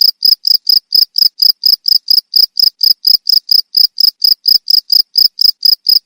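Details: Short, shrill cricket chirps pulse in quick, regular succession, around three per second, clear and alone.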